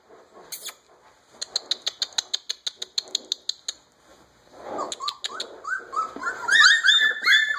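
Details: A quick series of dry, evenly spaced taps, then a litter of 3½-week-old Alaskan Malamute puppies join in with thin, wavering, upward-sliding howls overlapping as several voices rise together, just beginning to sing.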